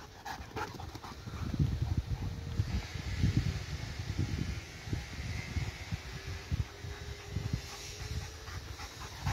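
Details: A dog at play, chasing back and forth, pants in quick, rough, low breaths that come in a steady run of bursts, with a voice urging it on nearby.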